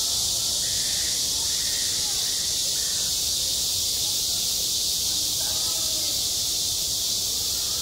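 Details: High-summer cicadas at a school sports ground give an unbroken sizzling whine at even strength, with faint voice-like sounds and brief soft tonal sweeps in the lower range behind the chorus.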